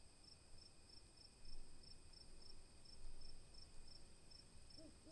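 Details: Night crickets chirping: a continuous shrill high tone broken by evenly spaced brief pulses, with low background rumble swelling twice and a faint low hoot at the very end.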